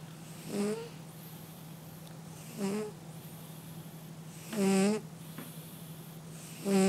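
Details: Sleeping cat snoring: four nasal, tonal snore bursts about every two seconds, each with a short upward-bending whine, over a steady low electrical hum.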